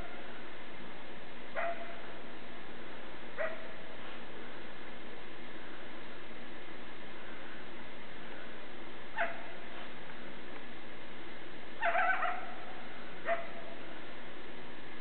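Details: A young coyote in a backyard gives brief, sharp barks and yips at uneven intervals, with a quick double burst near the end, over a soft, constant low background rumble.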